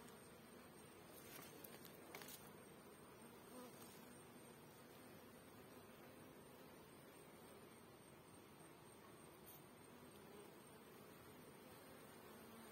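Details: Dense, steady buzzing from a great many honey bee drones (male bees) at a hive, a continuous low drone with faint brief clicks near the start.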